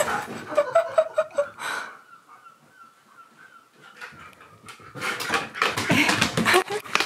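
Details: Pet husky, worried and unhappy after being told his homemade dog-friendly waffles were shrunk, indoors: a burst of harmonic whining notes, then a thin sustained high whine, ending in loud rough grumbling vocal bursts.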